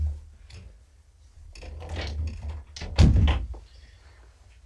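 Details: Indoor thunks and door-like knocks over a low hum, with faint handling noise and no animal voice.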